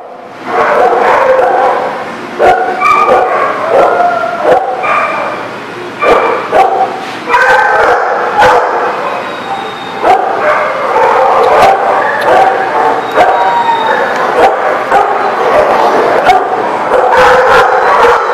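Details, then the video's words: Many dogs barking and yipping at once in a dog lot, a dense overlapping chorus of sharp barks and higher yelps continuing throughout, with some whining tones mixed in. "The Barking Lot"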